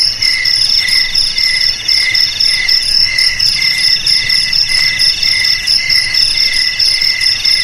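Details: Crickets chirping in a dense chorus: bright, high trilled pulses stacked in several layers, with a steady pulsing beat about twice per second and no other clear sounds.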